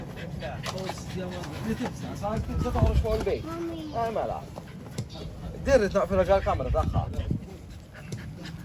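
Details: Tri-color American Bully puppies playing in Malta; bursts of short arched yelps and whiny squeals cluster together in two spells, while people talk in Spanish and English throughout.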